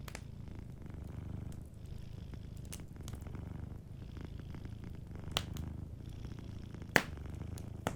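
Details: Sleeping cat's soft purring, a deep throbbing hum with brief dips between breaths, set against crackling fireplace pops, including a sharp one near seven seconds.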